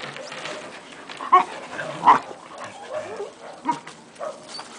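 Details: Six-month-old Akita Inu playing with another dog and several puppies; a few short, sharp barks burst out at irregular intervals over a steady background of rustling and panting.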